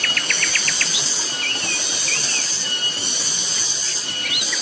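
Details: Loud cicada calling on Gunung Pabangbon, a continuous piercing high buzz, overlaid by a burst of rapid bird notes at the start and scattered thin whistled chirps afterward.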